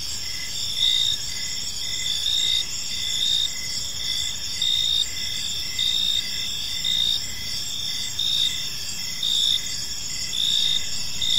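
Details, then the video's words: Gentle cricket chirps in a park at evening, a sustained shrill insect chorus punctuated by louder chirp bursts about every second or two, over faint distant rumble. "Cricket Sounds in a Peaceful Park"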